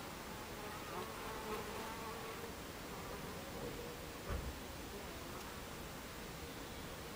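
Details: Hive entrance of Buckfast bees, afternoon of 26 July 2013 at 14:30. A constant low drone of wingbeats, with several bees' buzzes rising and falling as they pass close by, and one short thump near the end.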